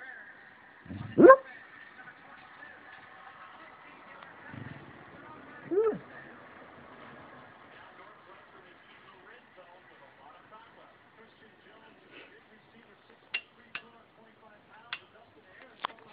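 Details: An 8-year-old rescue Beagle, a deep sleeper, sleep-barks, giving two muffled, rising bark-bays a few seconds apart, soft and half-voiced.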